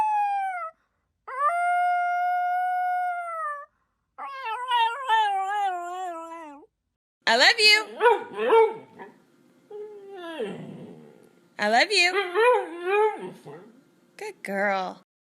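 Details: Domestic dog 'talking' and arguing with its people: a run of long, wavering howls and yodelling whines, some held steady, others warbling up and down, broken by short pauses, with human voices speaking in between.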